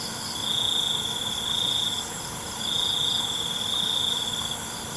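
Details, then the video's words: Crickets at night in a natural setting: two long, high, shrill trills lasting about two seconds each, separated by a short pause, with a softer pulsing chirp layered above and a constant faint hiss behind. "ALUNAN CENGKERIK MALAM"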